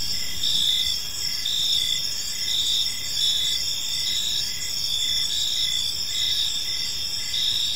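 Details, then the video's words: Crickets chirping on an evening in a peaceful park, a dense chorus of high steady trilling bands with pulsed phrases near the top, overlapping callers forming a continuous wall of sound over faint low background hum. "Park Serenade: Cricket Sounds in a Peaceful Park"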